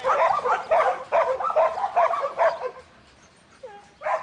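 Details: Buttons, a young male Border Collie in training, a futurity prospect for 2012, barks in a quick run of about six sharp, mid-pitched barks, then pauses before a short whine and one more bark.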